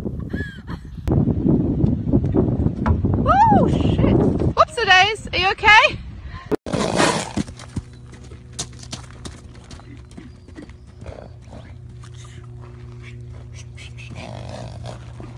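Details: Horse whinnying in a funny compilation: a loud, wavering neigh that falls in pitch and lasts about two seconds, with people talking before and around it and rustling noise afterward.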